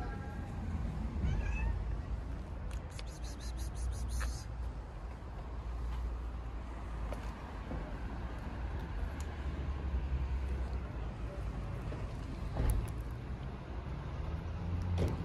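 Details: Hungry domestic tabby cats and kittens meow loudly and repeatedly, asking for food, over a steady low rumble.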